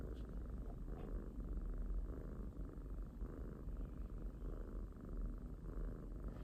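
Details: Domestic pet kitten purring steadily, a dense low rumble with a gentle pulsing rhythm throughout, plus faint brief higher rustles.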